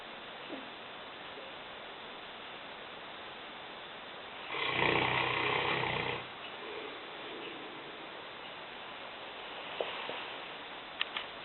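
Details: Sleeping in the kitchen, Lena, a 150-pound Newfoundland aged five, lets out one long rasping snore of about one and a half seconds mid-way, followed by soft breathing and a few small clicks near the end.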